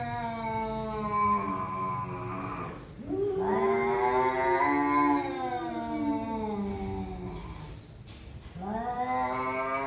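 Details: Two cats in a face-off trade loud, drawn-out yowls: a long wavering howl, a brief dip, then a rising, quavering wail that slides down, and a fresh yowl starting near the end.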